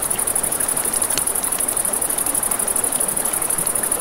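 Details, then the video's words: A high, evenly pulsed cricket trill by a river after dark sits above steady water noise, with a few crisp campfire pops. "Campfire by the River at Night Ambience | 1 Hour of Crackling Fire, Crickets, Ambient Nature Sounds"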